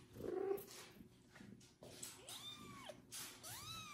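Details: Kitten meowing after its first bath while a foster mother cat tends to it; two rising-then-falling meows near the end follow a stretch of rustling and handling noise.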